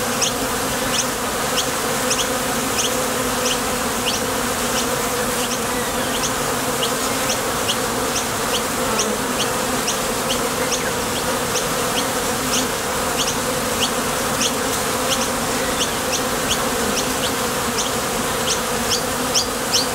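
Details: At a top bar hive entrance, honey bees head out to the field for nectar and return, filling the air with a steady, humming mass of wingbeats. Brisk high ticks repeat steadily through the drone.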